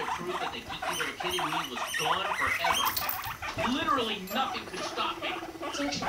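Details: Guinea pig Rumply mounting five-month-old Fluff; a low purring rumble with rising and falling squeaky notes and rapid clicking patter, plus a few sharp taps.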